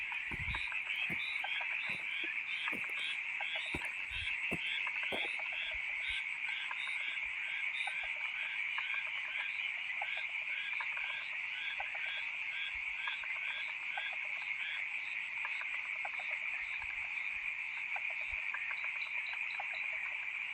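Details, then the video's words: Loud nighttime frog chorus, many callers overlapping in a constant shrill wall of sound, with rapid repeated notes pulsing through it and a few sharp knocks in the first five seconds. "FROGS making a loud noise during the Night"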